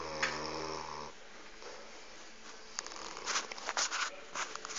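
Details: Sleeping Saint Bernard dog snoring: a low, droning snore rich in stacked harmonics for about a second, then softer breathy rasps broken by short, noisy bursts.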